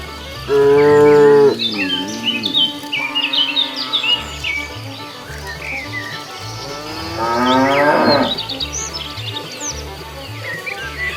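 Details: A cow roaming the road looking for food lets out one steady moo, then a long quieter stretch with high chirps, followed later by a rising, strained moo that swells and breaks off, over a low rhythmic beat.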